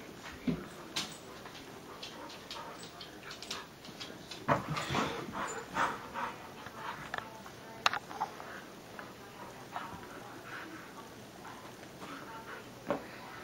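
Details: On a Sunday morning a Husky moves about and rustles. Bursts of shuffling and tapping come irregularly, and a denser cluster of noise arrives midway. Soft whining is mixed in over a quiet indoor hum.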